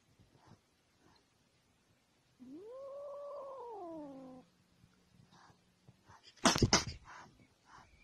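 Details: Kitten giving one drawn-out meow that rises, holds and slides down over about two seconds, followed by a sharp, loud clatter and faint background sounds.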